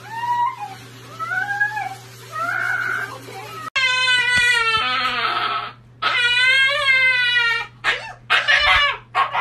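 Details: A dramatic dog whimpers and cries in wavering, sobbing whines, some short and rising, others long and warbling, the later ones louder and harsher, with a low steady hum underneath.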